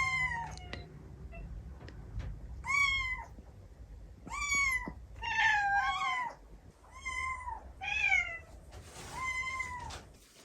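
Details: Kitten-era meowing of Tsukushi, a female white-and-tabby cat, played back at home to attract her fellow cats. About seven drawn-out, arching meows come roughly once a second or more, clear and harmonic against quiet room noise.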